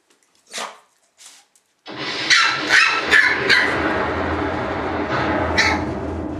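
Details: Shiba Inu puppies: two faint high yips, then a run of sharp, high, harmonic yelps at irregular intervals, heard over loud continuous rustling and handling noise.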